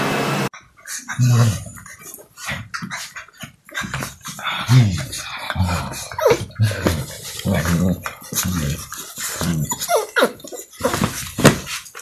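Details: Jack Russell Terrier, featured among funny and cute dogs, giving low, rumbling growls and whimpers in short repeated bursts over a dense, noisy background.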